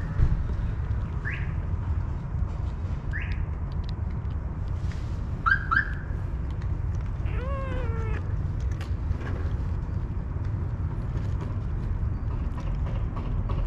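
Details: Homeless, hungry cats and kittens searching garbage for food give several short meows, some rising and one longer falling with clear harmonics, spaced a few seconds apart over a steady low traffic rumble.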